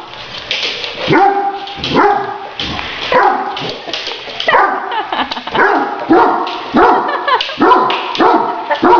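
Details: Great Danes playing with a remote-controlled toy tarantula give a run of deep, harmonic barks, short bursts coming roughly every second, some doubled, with a few yelping notes between them.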